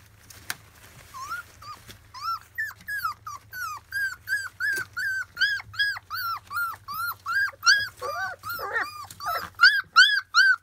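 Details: Field-line Labrador Retriever puppies, 25 days old, during their first taste of weaning food: rapid high, arched whistling whines and squeals from several pups, repeated almost three times a second, growing louder and more overlapping toward the end, indoors.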